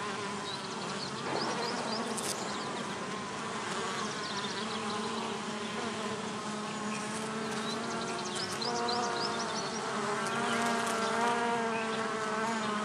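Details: Bees at a bee hotel make a steady, low droning buzz with layered hum tones throughout, while faint high chirps and brief clicks sound over the top.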